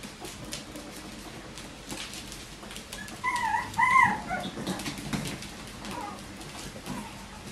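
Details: Bichon Frisé puppies of litters O and P at a small kennel in Denmark; a couple of short high whimpers stand out midway, followed by fainter cries and soft shuffling indoors.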